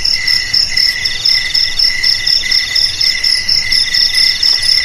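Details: Cricket song offered to scare off rats: high, ringing trills that stack in layers, some strands breaking into short repeated bursts about twice a second over a steady shrill hum.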